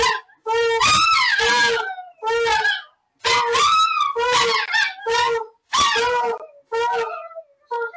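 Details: A giant Alaskan Malamute gives a series of wavering, mid-pitched howls in short, repeated bursts.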